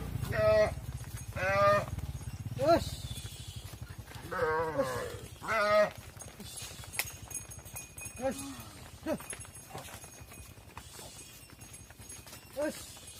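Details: Cattle on a farm as mother cows enter the barn while their calves stay outside: a quick run of loud, drawn-out bawling calls, about five in the first six seconds, then fainter, scattered calls over low, steady background rumble.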